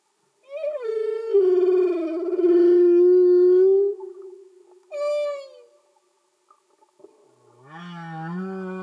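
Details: Singing humpback whale underwater: a long wavering, mournful moan sustained for about three seconds, a short falling cry, then a low rising grunt with layered overtones.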